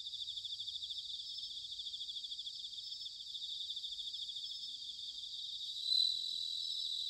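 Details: Autumn bell cricket chorus from Sanuki, Chiba, Japan: a steady, fairly quiet, high shimmering trill of rapid pulses, one brief louder swell near the end, and a faint low rumble beneath.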